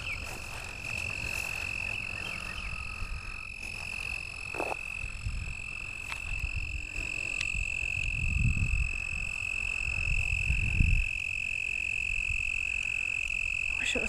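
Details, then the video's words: Toads calling after dark at a lake in Lake Worth, Texas, in April 2010: a long, unbroken high trill holds throughout, with a lower, shorter trill joining briefly and gusts of wind rumbling underneath. "Toad calls"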